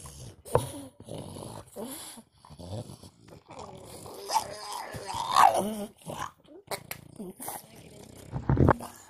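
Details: French Bulldog; whining grumble; frustration because a female dog is in heat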